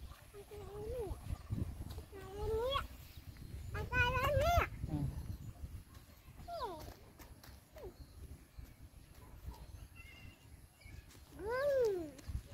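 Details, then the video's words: Dog in a bullying scene gives high, wavering whines and yelps that rise and then fall, with a quick cluster around the middle and one drawn-out cry near the end, over low rumbling background noise. "Bully dog is never end"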